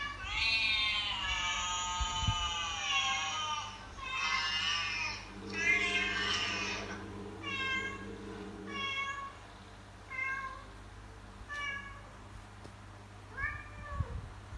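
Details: House cat mother calling her kittens to follow: one long strained meow, then a series of shorter meows that grow quieter and more spaced out, over a faint background hum.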